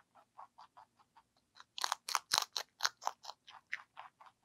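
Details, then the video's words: ZZ, a pet lionhead and Dutch mixed-breed rabbit, crunching celery indoors: crisp clicking bites about twice a second, growing louder and sharper midway as larger pieces snap, in an otherwise quiet room. "Eating Sounds"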